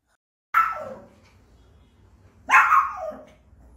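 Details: A Pekingese puppy, barking excessively, gives two sharp, high-pitched barks about two seconds apart.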